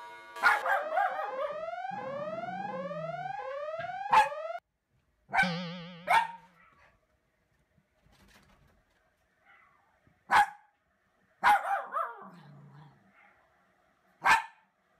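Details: Wary Toy Poodle at home, barking when people pass the house. Electronic rising chirps open, then sharp single barks follow, spaced one to several seconds apart with silences between.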